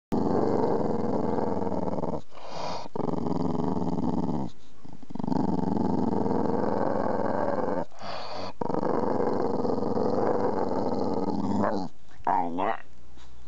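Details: A Boxer dog at the start of summer gives long, rough, rumbling growls that run almost without a break, with short pauses near two, four and a half, eight and twelve seconds.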